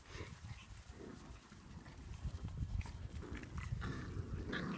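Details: Boxer puppies playing with the chihuahuas, a low, rough growling and grumbling that runs on without a break, layered with scuffling and soft yaps.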